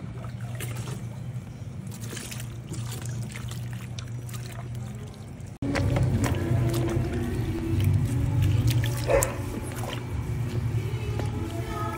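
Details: Background music with running, trickling water and a low motor hum, then louder water and handling noises; no animal call stands out.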